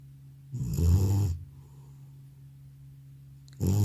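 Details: Elderly house cat sleeping soundly after a trip to the vet, snoring loudly: one long, deep rattling breath, a silent gap of about two seconds, then the next snore starting.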